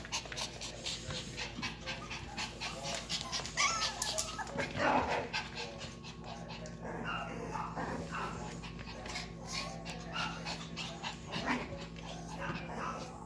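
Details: Vern's two baby Yorkshire Terrier puppies breathe in fast, raspy pants, broken by a brief high whimper. Faint human voices murmur behind them.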